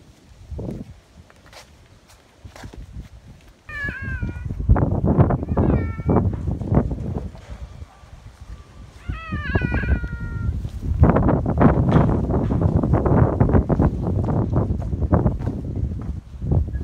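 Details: Sango, a clingy rescued cat, revisits its home park on a day in May. It gives two drawn-out, bending meows a few seconds apart over loud crunching, rustling steps and handling sounds outdoors.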